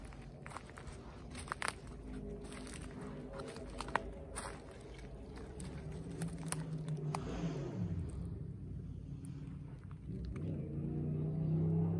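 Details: Winter walk beside an irrigation canal, with crunching footsteps and scattered clicks, then a soft melody from a phone rising in the background; no animal calls.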